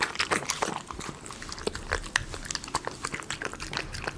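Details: Close ASMR recording of a Miniature Schnauzer eating premium chicken pie dog food. Sharp, crisp smacking and crunching clicks come rapidly and unevenly, loudest at the start.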